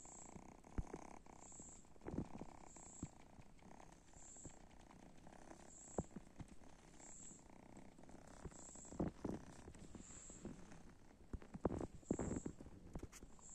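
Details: Kittens taking a break from play purr in a continuous low rumble, broken by scattered clicks and soft handling noises.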